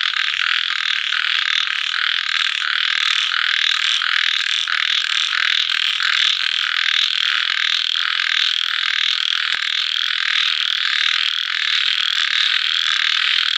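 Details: Night chorus of small frogs after rain and sundown: many voices trilling and croaking together in a continuous high buzz, gently pulsing, with a few faint deeper croaks early on.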